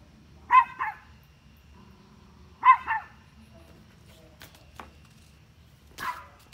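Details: Dog barking at deer, giving paired barks about two seconds apart, each a loud bark followed by a softer echoing one, then scattered clicks and a brief noisy burst at the end.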